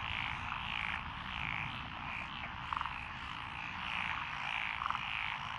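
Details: Mixed frog chorus in lotus paddies in Echizen, Fukui, Japan, June 2021. Rhythmic croaks swell and fade about twice a second, with short rattling trills cutting through twice.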